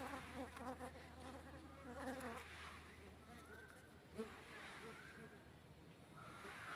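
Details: Honey bee buzzing: a low, droning hum with wavering pitch that is strongest over the first two and a half seconds, then fades into steady background noise with faint, thin tonal calls.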